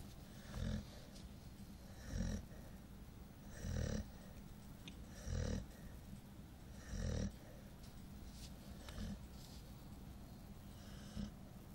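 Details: A 9-month-old female Golden Retriever (Canis lupus familiaris), very tired and asleep, snores in low, rumbling breaths roughly every one and a half seconds.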